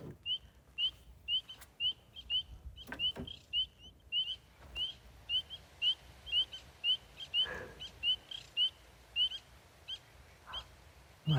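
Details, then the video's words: Spring peepers give a steady run of clear, high, rising peeps, about two each second; a big sound for such a little frog. "What a big, beautiful sound for such a little frog."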